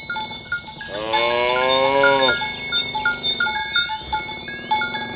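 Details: Tame cow among a herd roaming green grassland in the morning while herded toward the pen, calling its companions to gather: one loud, rich moo lasting over a second, with cowbells ringing throughout.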